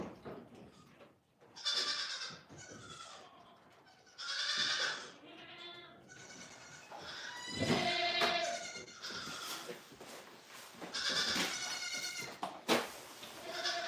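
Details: Young goats on a farm being coaxed to take a bottle of milk, with the kid Mocha nearby, give a long run of repeated, quavering bleats, some shaky and vibrato-like, separated by short pauses and background shuffling.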